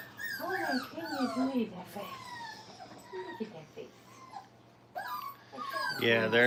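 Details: Brittany puppies, five weeks old, learning crate training indoors. High, arching whines come in quick succession, then fade into quieter squeaks. A burst of louder noise closes the recording.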